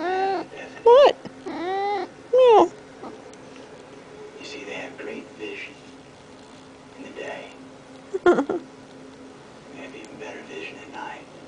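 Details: Male pet cat named Norman Bates talking to its owner while demanding to be petted: three quick rising-falling meows in the first three seconds, then faint quieter sounds and one brief sharp call near eight seconds.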